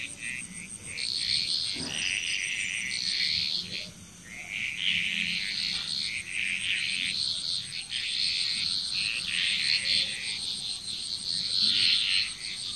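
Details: Bali, Indonesia frog chorus: many frogs giving rasping, rattling croaks that merge into a near-continuous wall of sound, briefly thinning before swelling again, with a steady high whine in the background.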